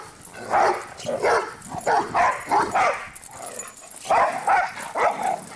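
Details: Two dogs, Cinder and Zoe, running around and barking: a burst of short, sharp barks, then a brief pause and a second cluster of three or four quick yaps near the end.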